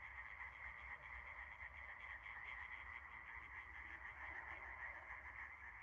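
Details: A dense chorus of frogs croaks together at night under a starry sky in a steady, unbroken wall of sound.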